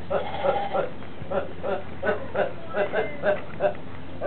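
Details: A goat named Horney, described as laughing and sneezing all day long, makes quick, uneven, grunting chuckles, several each second, over a steady low hum.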